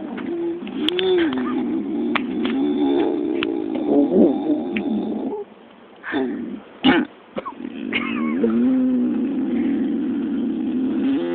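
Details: Pig vocalizing while asleep, as if dreaming of chasing squirrels; low, wavering grunts and moaning tones with bent pitch, broken by a short quiet gap and a couple of sharp snorts, then steady murmuring grunts resume.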